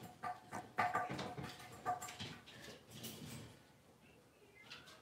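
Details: Blenheim Cavalier King Charles Spaniel puppies, a litter of five born at New Year's, in an indoor home puppy pen after moving to a bigger pen. Short, high, tonal yips and whimpers bunch in the first two seconds, then fade into soft rustling and shuffling.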